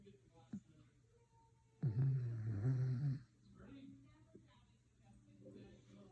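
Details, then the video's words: Snoring dog gives one long, deep, rasping inhalation of about a second and a half, then quiet room noise with faint softer breathing. "Listen to the dog ￼ snore￼￼"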